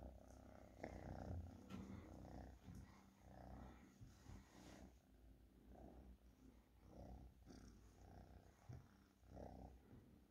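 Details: Soft low purring from a domestic cat, uneven in strength, with scattered clicks and brief rustling noises over the rumble.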